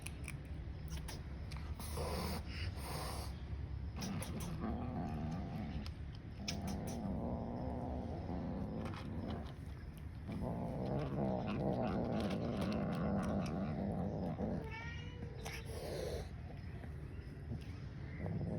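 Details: Hungry grey and white female cat growling a warning at another cat lurking while she eats: long low rumbling, wavering moans swelling mid-way, mixed with loud chewing, crunching and bowl clatter throughout.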